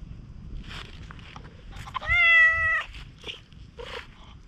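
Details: A raccoon-dog-like stray cat, very affectionate at a campsite after rain, lets out a single strong, level meow lasting under a second, preceded and followed by soft rustles and a small chirp-like murmur.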